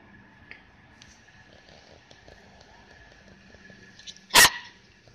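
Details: Rat Terriers during their first play session; after a quiet stretch with a faint steady hum, one sharp, loud, broadband bark bursts out near the end.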